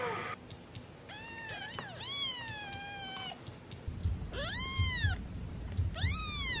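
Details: Domestic cat meowing repeatedly: several rising-then-falling harmonic meows, some drawn out, others short and arched, spaced about one to two seconds apart, with a person speaking softly to the cat indoors.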